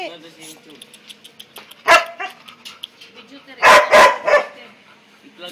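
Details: Labrador Retriever dog barking: a single loud bark near two seconds, then a quick burst of three sharp barks about a third of a second apart, with Tagalog speech murmuring between them indoors.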